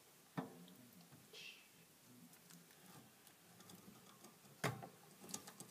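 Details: Hamster noisily eating: sparse, sharp crunching clicks and crackles over a low, steady hum. A loud snap comes early, another near the end, then a quick burst of small crisp clicks.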